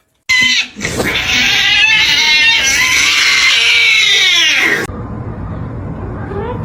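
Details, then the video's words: Kitten crying and meowing: one loud, strained, drawn-out wavering yowl lasting about four and a half seconds, rising slightly then sagging at the end, followed by quieter background noise. "kitten meowing crying"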